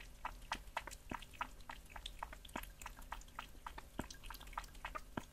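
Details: Cat eating raw meat indoors in a small room: rapid wet chewing and crunching clicks, several bites each second, close and clear.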